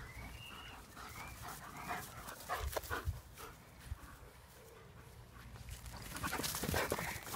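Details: German Shepherds in a pack, giving thin whistled whines near the start that rise and fall, followed by scattered short yelps and panting over steady low rumbling background noise.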